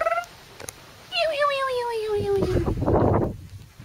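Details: Male Corgi puppies aged 44 days, recorded 29 April 2013: a brief squeak, then one drawn-out nasal whine that slides slowly downward for over a second, followed by loud rustling and handling noise.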